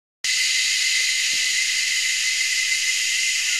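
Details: Cicadas calling in Anstead, Queensland, Australia, about three or four species hidden high in the treetops: a dense, unbroken shrill drone starting abruptly after a brief silence and holding steady throughout, with a distinct tonal band within the high buzz.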